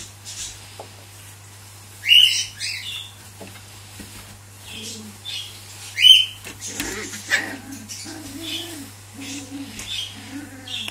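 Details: Caged Cavalier King Charles Spaniel puppies, the lone male among females asserting dominance; two sharp, rising high-pitched yelps about four seconds apart, then softer whines mixed with a man talking nearby.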